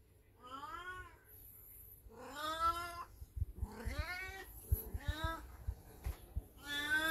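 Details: Elderly black cat Beni-chan in heat, calling indoors while a Golden Retriever watches; four long, drawn-out harmonic yowls, each rising then falling, about one every 1.5 seconds, with soft thumps and household noise between.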